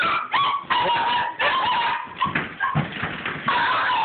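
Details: Pet dogs playing with a tennis ball up and down a hallway indoors; high, wavering whines and yelps slide in pitch, broken by short sharp bark bursts, with a person speaking faintly.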